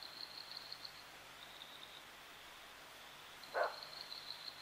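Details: A common (Cape) bushbuck at Lake Panic in Kruger National Park gives a single short, sharp alarm bark. It is fairly distant amid a steady high insect-like buzz and soft background hiss.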